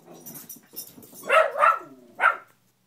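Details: Gia, a pet beagle indoors, barks at a fallen Spider-Man lamp she fears or wants to play with, while play bowing. Three loud, sharp barks come in quick succession, the first two close together, the last after a short pause.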